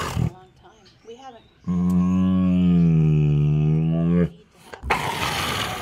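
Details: A 16-year-old female Bengal tiger at an animal rescue in San Diego vocalizes while eating a snack: one drawn-out, steady, low moaning sound lasting about two and a half seconds. Human speech comes before it and broadband noise follows.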